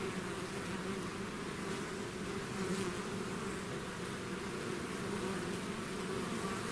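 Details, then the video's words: Bees swarming out of the hive produce an unbroken, thick buzzing drone, steady in loudness throughout, many wings humming together. "bees therapy swarm natural buzzing sound"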